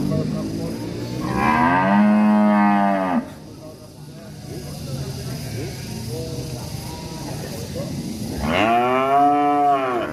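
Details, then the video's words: Enraged cattle in a village, two long harmonic moos about six seconds apart, the second starting higher and sliding down, with low murmuring background noise between them. "SUARA SAPI NGAMUK"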